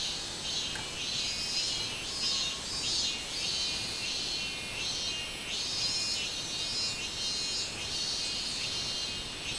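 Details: Minmin cicada singing on 24 July 2016: a dense, shrill high-pitched drone pulsing in regular swells roughly every second, the strong buzzy tone held steady throughout with faint background noise beneath.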